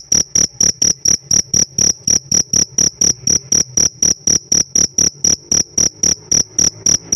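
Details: Pet cricket kept in captivity, sounding a loud, high, ringing chirp in steady pulses about four per second, each short burst evenly spaced, with a faint low hum beneath.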